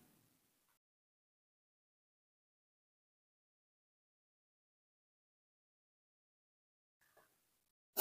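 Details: Near silence with a brief faint rustle at the start, a short soft sound near seven seconds and a loud burst at the very end.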